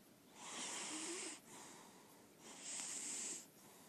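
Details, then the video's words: Sleeping female lilac point Siamese kept indoors, snoring: two long hissing breaths about two seconds apart, each a steady airy rush with a faint low tone inside, quiet room. "Sounds of a Snoring Cat"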